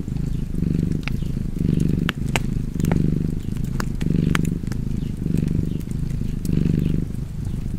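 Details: Cozy purring from a cat by the fire: a deep, vibrating hum pulsing about seven times with each breath in and out, mixed with frequent sharp cracks and pops from the burning fireplace.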